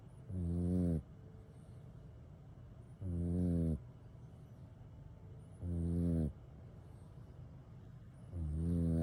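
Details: A kitten exhausted from play snores during its nap: four even, buzzy, low-pitched snores repeated about every two and a half seconds, each lasting under a second, over a soft steady room hiss.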